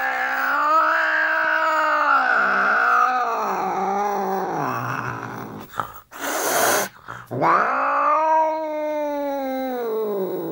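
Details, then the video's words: Angry British Shorthair cat producing long, drawn-out growling yowls that rise and fall in pitch. A sharp burst of noise breaks in around the middle, then the moaning resumes, strong and sustained. "Angry Cat British Shorthair Cat"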